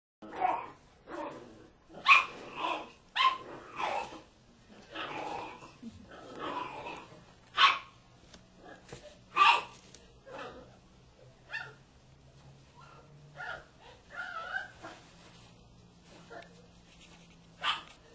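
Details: A female Bull Terrier barking: loud single barks spaced a few seconds apart, with growls and breathy sounds between them, then quieter grumbling and a final bark near the end.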